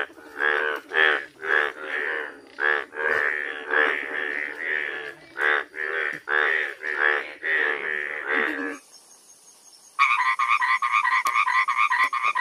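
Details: Frogs calling at night in their natural habitat: a rapid run of rough, nasal croaks, nearly two a second and uneven in length, then a short pause before a higher, buzzier pulsed call takes over.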